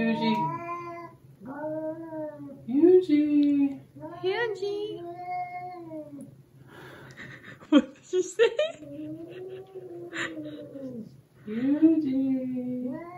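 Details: Domestic adult cat yowling in a small room during a tense first meeting with another cat, warning it; long wavering cries with rising and falling pitch, several drawn-out yowls in a row, with a man speaking softly and brief music.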